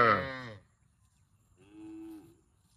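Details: One cow calls twice: a loud, harsh moo that opens strongly and fades within half a second, then after a gap a quieter, smooth, steady moo held for about three quarters of a second.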